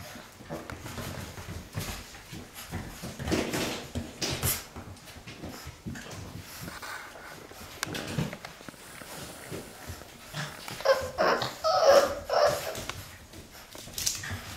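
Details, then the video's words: Playing Boxer puppies aged six weeks make soft scuffling noises, then a late cluster of thin squeaky whimpers and sharp yips in uneven bursts, with bumps and rustling throughout. "~L Litter at play~ 6 weeks old"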